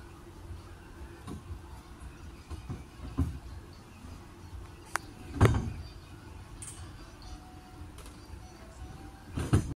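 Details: Only low rumbling background noise with a few sharp knocks and clattering thumps; no animal calls stand out.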